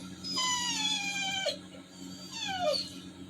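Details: Toby the Labrador Retriever, sad after his walk was cancelled for rain, gives two long whines about two seconds apart. Each slides steeply downward and ends in a short squeak. A constant low electrical hum runs underneath.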